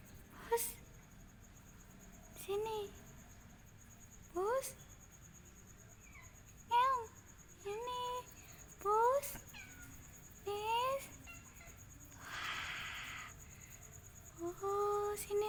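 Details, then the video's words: Found Angora cat meowing indoors: short, rising-then-falling harmonic meows repeated every one to two seconds, interleaved with people calling to it and talking quietly nearby. "Nemu kucing anggora riwuuk"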